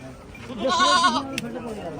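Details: Goat at a goat market in Mullanpur, described as pregnant and giving milk, one short bleat overlapping a man's speech.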